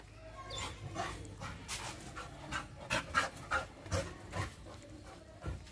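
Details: A female American Pit Bull Terrier, reacting wildly at the sight of a monkey, gives rapid, harsh, breathy huffs in quick succession.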